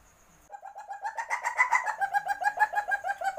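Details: Musang, a civet, in heat calling to mate: after a half-second hush, quick throaty clucks tumble out in a steady rapid rattle, loudest midway, still running at the end.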